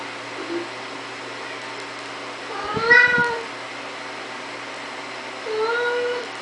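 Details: A Siamese cat that opens a door gives two drawn-out, nasal meows, the first rising and falling, the second shorter.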